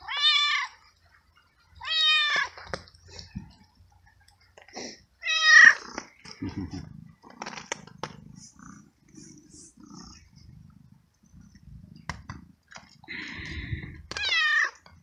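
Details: Rain-soaked stray cat fed kibble and treats, meowing repeatedly; three clear meows early on, then quieter chewing and rustling noises before a final meow near the end.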